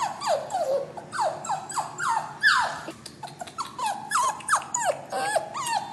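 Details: Caged puppy sobbing while waiting to go to a new owner, making a steady run of descending whines, each dropping sharply in pitch, about two per second, with a louder, brighter cry midway.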